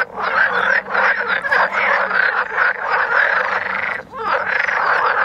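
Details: Many frogs calling during mating in the Vrijbroek park, Mechelen, Belgium: a dense, continuous croaking chorus of overlapping rattling calls, steady throughout with a brief dip near four seconds.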